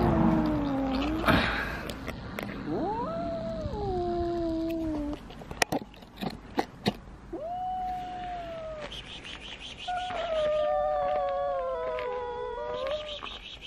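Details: Domestic cats meeting, one a small, timid two-year-old weighing 3.5 kg, the other a very large cat: a series of long, drawn-out wavering meows, some rising then falling, with clicks and handling noises between calls.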